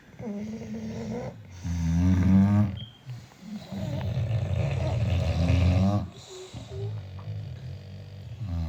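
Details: Six British Bulldogs sleeping together, giving deep rumbling snores with low droning tones, long rasping breaths swelling and fading about every three seconds, overlapping from several dogs.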